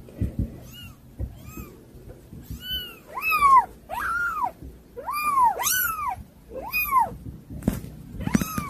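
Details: Kittens that are hard to control meowing insistently, a steady run of arched, rising-then-falling cries nearly every second, a couple overlapping, with soft clicks in the background.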